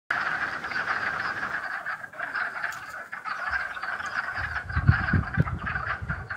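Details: A dense spring chorus of frogs, recorded 11 April 2015, trilling steadily at a mid pitch, with brief low thumps near the end.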